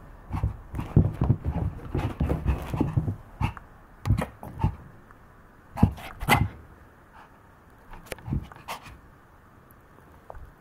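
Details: A playful Maltese dog indoors, panting in quick breathy bursts with soft low snuffles, louder clusters around the first few seconds and again near six seconds, quieter gaps between.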